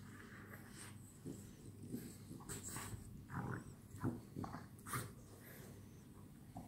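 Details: Night play between French Bulldogs; quiet at first, then a cluster of snorts, grunts and brief growls in the middle and later seconds.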